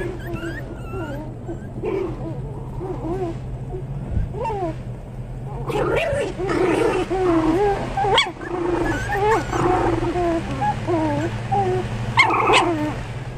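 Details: Several Pomeranian toy spitz puppies yipping and whining together, high squeaky calls growing busier and louder partway through, with a steady low hum underneath.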